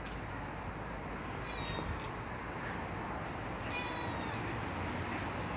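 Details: A friendly neighborhood cat visiting a fenced garden; two short, thin, high meows with wavering harmonics near the second and fourth seconds over steady background hum.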